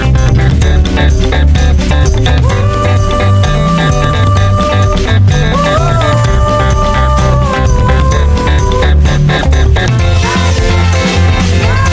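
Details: Upbeat instrumental music with guitar and steady drums plays loudly throughout, with no animal sounds heard.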